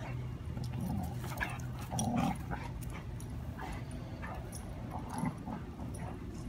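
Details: Sully and Lady, foster dogs, playing together: short low grunting whimpers come in bursts near two and five seconds, with faint scuffling between them, over a steady low indoor hum.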